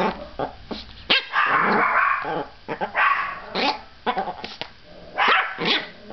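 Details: Pet dog Princess, who barks at everything, gives a dense run of loud, rasping barks and yaps, several overlapping and smeared together, with sharp clicks between the bursts.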